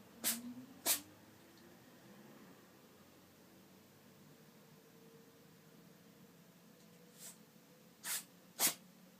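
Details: A black-and-white tailless cat with a cold, at the autumn-to-winter change of season, sneezing three times in a row indoors; sharp explosive bursts in pairs near the start and the end, with quiet room tone between.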